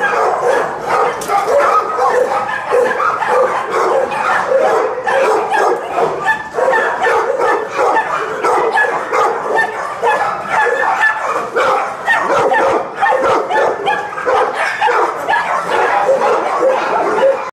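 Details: Several dogs bark and yip in a rapid, unbroken chorus, sharp overlapping bursts packed closely together for the whole stretch, with a few whimpering notes mixed in.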